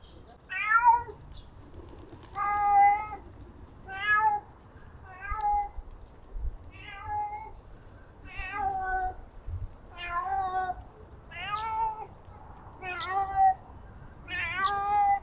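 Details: Stray cats, with males pursuing a female that hides in a treehouse. Loud, drawn-out harmonic meows come about every one and a half seconds, each swelling then falling away, over a faint low rumble.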